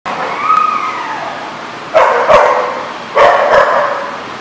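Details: Dogs in Rhode Island: a drawn-out rising-then-falling whine opens, then two loud rough barks about a second apart, each a short noisy burst, over steady indoor background hiss.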